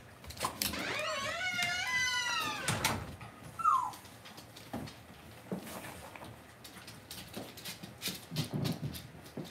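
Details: Cavalier King Charles Spaniel puppies in an indoor pen at home. A rising then falling whine with many harmonics stands out over busy clatter and shuffling. A brief squeak follows, amid steady room noise.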